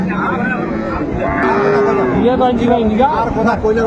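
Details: Cow with her calf at Ambari market, Dinajpur, Friday 28 February 2025; a clear sustained low moo in the middle, followed by shorter wavering lows, amid busy crowd talk.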